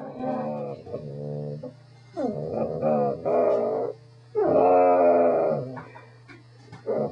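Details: A pet Corgi 'talks' in a string of yodelling, moaning whines, some wavering and some rising, with brief breaks between phrases and a constant low background hum.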